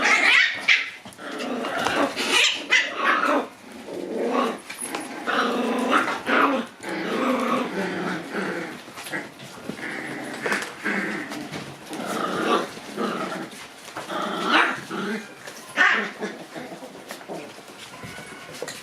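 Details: Shiba Inu puppies playing in the sunshine on January 27. Scrappy, rough growling and yapping noises come in irregular bursts throughout. There is scuffling and a person's voice.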